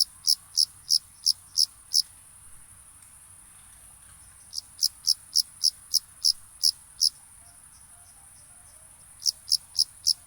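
A cricket gives high, thin chirps in quick runs, separated by short silences.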